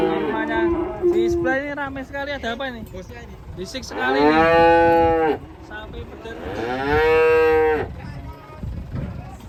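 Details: Raging cattle bellowing: two long, loud, harmonic moos, each about one and a half seconds, plus a softer lowing call at the start, with background clatter and noise.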